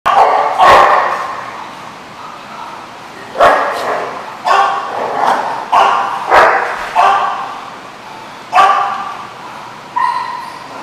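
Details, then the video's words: Dog barking, recorded on 22 June 2015: about nine sharp, harmonically rich barks in irregular bursts over eleven seconds, some in quick pairs, with quieter yips between and faint background chatter. "The Barking Lot"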